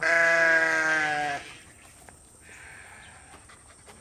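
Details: A sheep on a farm, coming in on hearing food buckets being readied, gives one loud, wavering bleat that slides slightly downward, followed by quiet with faint clanks.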